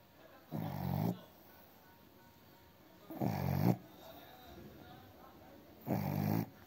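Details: A Blenheim Cavalier King Charles Spaniel, possibly a puppy, snores in low, rasping bursts roughly every two and a half seconds.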